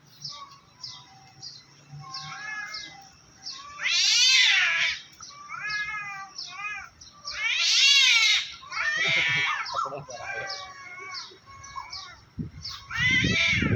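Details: Two cats, one black and one white, threatening each other in a treetop; long wavering harmonic yowls alternate with shorter moaning calls, swelling loud every few seconds, over faint background noise and a brief thump at the end.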